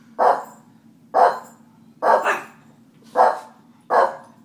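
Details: Five short, forceful barks from pet dogs being teased and annoyed on purpose, spaced roughly a second apart, one doubled, over a faint background hum.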